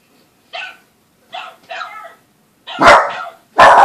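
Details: Indoor Boston Terrier puppy, normally calm, barking at something on the TV: three softer yips, then two loud harsh barks that clip at full volume, in a small room.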